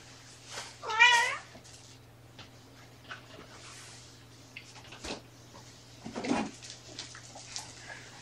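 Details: Kitten meowing indoors, one of four shelter kittens with their mother Seraphina at Purrfect Pals, Washington; a single loud rising-falling meow early on, followed by soft rustling, handling noises and a faint later squeak over a steady low hum.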